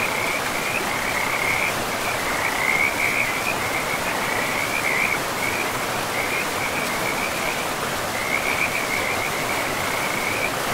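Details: Beside a river in pristine forest, frogs keep up a high, pulsing trill that breaks into repeated clusters and swells now and then, heard against an unbroken roar of flowing water.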